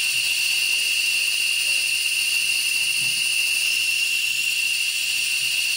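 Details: Periodical cicadas emerged in large numbers, hundreds lining tree trunks and branches to feed and find mates: a dense, unbroken, high-pitched hissing drone with steady bands of whine, constant throughout without pauses.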